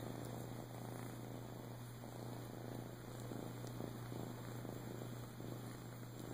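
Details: Purring from Boo, a male flame tip Siamese rescue adopted in Clearwater, Florida, in 2014; a dense, even rumble with quick regular pulses, a few soft ticks, a continuous low hum and steady high tones.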